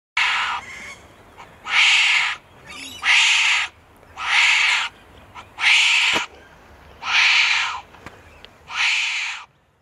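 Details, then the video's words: Northern hairy-nosed wombat giving a series of hoarse, rasping, breathy bursts, each about a second long, repeated fairly regularly about every 1.4 seconds, seven in ten seconds, with a quiet background. "Northern Hairy Nosed Wombat Sounds"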